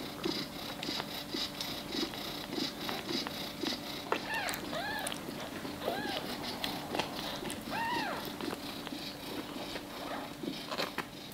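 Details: Chewing clicks fill the room while a Maine Coon kitten at feeding time lets out three separate rising-and-falling mews spaced about two seconds apart in the middle stretch.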